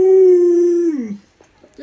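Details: Luoluo, a pet Alaskan Malamute, sustains a smooth level howl for almost a second, then lets it drop sharply downward and trail off, with faint human voices afterward.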